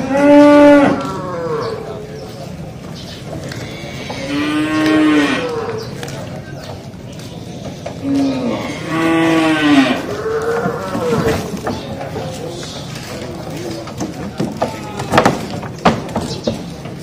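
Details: Cattle being loaded onto an L300 pickup truck: several loud, harmonic moos during the first ten seconds, some rising then falling, followed by clattering and bumping sounds of handling.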